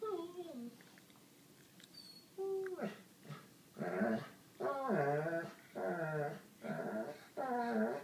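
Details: Sadie, a seven-year-old white Labrador, fussing indoors for attention from Holly, an eight-year-old black pug: a low murmur, then a rhythmic run of five loud, warbling, bent whines, roughly one per second.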